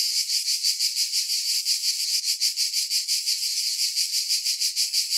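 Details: Cicadas keep up an unbroken shrill buzzing chorus with a soft rhythmic throb about three times a second, all high-pitched, with no other sounds present.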